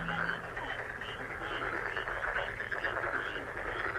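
Many frogs call at once, their rapid trills and croaks blending into a thick, pulsing chorus. The sound never pauses, rising and falling slightly in rhythm as individual voices overlap.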